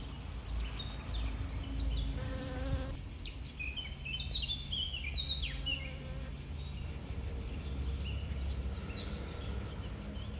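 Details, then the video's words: Honey bee at work pollinating flowers, giving a continuous low hum, while several small birds chirp and twitter in short rising and falling phrases in the background. "honey bee's pollination"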